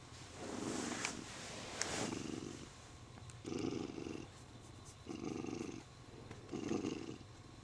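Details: Pampered male Siamese cat, happy while being stroked and clasping its owner's arm, purring in low rumbling bursts that swell about every second and a half, with a few sharp clicks and rustles between breaths.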